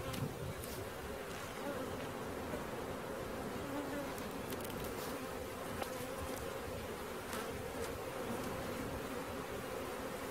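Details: Steady, thick buzzing of a honey bee swarm during its capture, an unbroken low hum with a few sharp clicks and taps scattered through.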